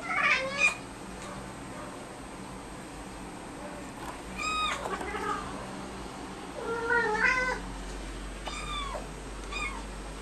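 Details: Two pet cats meowing together after spotting a fly, a duet of drawn-out, downward-bending meows that overlap and alternate in several bursts, some rising then falling, with a faint steady high hum behind them.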